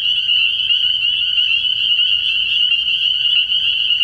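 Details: Dense chorus of spring peepers at a pond at night in early spring: continuous high-pitched, ringing peeps from many frogs at once, steady and unbroken.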